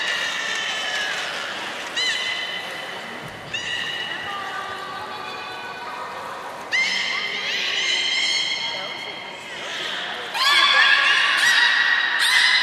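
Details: Captive beluga at Port of Nagoya Public Aquarium, Japan, 16 March 2019, around a fish feeding and play session: bright, harmonic-rich whistles in short upswept bursts, several overlapping strings of tones, with a murmur of background noise.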